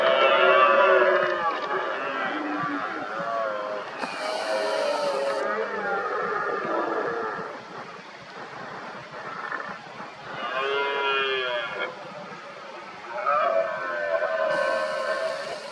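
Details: Red deer stags roaring repeatedly during the 2023 rut, rivals working each other up before challenging an injured dominant stag; long harmonic bellows rise and fall, several calls in sequence, some overlapping, with brief high hissing bursts between.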